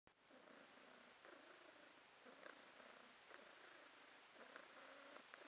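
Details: Domestic cat named Podushka purring in August 2022. Soft rumbling purr that swells in pulses about once a second, each breath-driven burst steady and low, with a faint hiss of room noise behind it.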